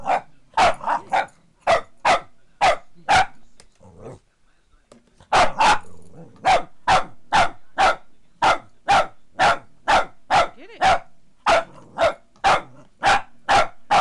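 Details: A female Boston Terrier barks at a foot massager she hates, in sharp, repeated bursts of about two a second, with a brief pause midway.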